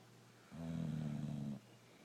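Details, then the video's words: Brindle Boxer dog Rocco snoring while asleep, one steady, low, buzzing inhale-snore of about a second, with soft background hiss before and after. "Boxer dog snoring away"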